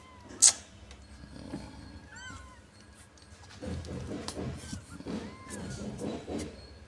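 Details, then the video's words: Domestic cat being cleaned of fleas, giving a few short, thin meows with bent, rising and falling pitch, spread across the recording amid low rustling and handling noise. "meong meong di bersihkan"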